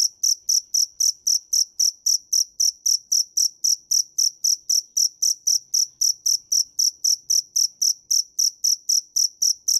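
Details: A steady, metronome-like train of piercing cricket chirps (dế mèn), close to four each second. The pulses stay uniform throughout, with nothing else audible.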